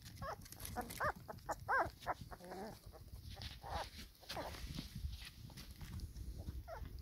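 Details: Black Labrador Retriever pups, pedigree and four weeks old, with their mother at feeding time in the sun; a quick run of thin rising-and-falling whines and yelps early on, then scattered softer squeaks over background rustle.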